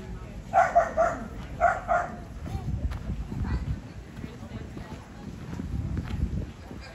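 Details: Dog barking at the Summer Mountain Cluster all-breed show, Allegany County Fairgrounds, Cumberland, Maryland, on August 17, 2024, during Non-Sporting Group judging; a few short, sharp barks in quick pairs early on, then crowd murmur and hall noise.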